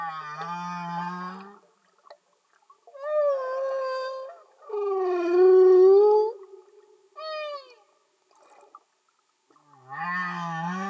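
Humpback whale song: long, moaning tonal units that rise and fall, separated by short silences.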